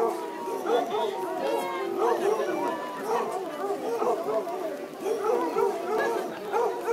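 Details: Basset Hounds competing in a best-howl contest at Legion Park, Woodburn, Oregon, on a rainy Sunday afternoon in July 2011; overlapping wavering howls and yelps repeat continuously beneath crowd chatter and music.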